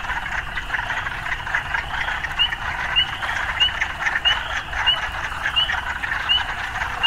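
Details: A continuous frog chorus in an urban setting, with short rising chirps repeated at a steady pace of roughly one every 0.6 seconds through the second half, over a soft low rumble.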